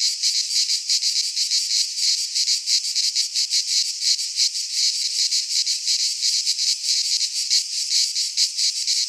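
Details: Midsummer chorus of cicadas in a Greek pine forest, a loud unbroken high-pitched buzz with quick throbbing pulses of varying strength throughout.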